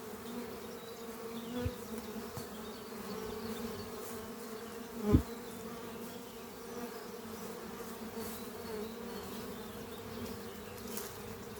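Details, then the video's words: Bees of a thriving spring colony flying at their hive under trees in the morning; even, low droning hum, broken by one loud knock near the middle. "Relaxing sound of bees flying at beehive Doppio on a spring morning"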